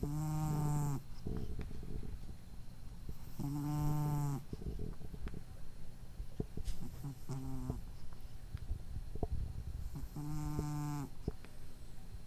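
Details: A sleeping house cat with a nasal impairment, recorded on April 23, 2012, gives four rhythmic, harsh, droning snores every three to four seconds. One is shorter than the others, and soft rustles sound in the pauses.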